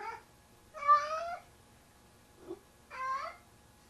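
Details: A large male house cat bringing a sock kitten to bed at night, calling with two drawn-out, wavering meows separated by a short soft chirp, in a quiet indoor room.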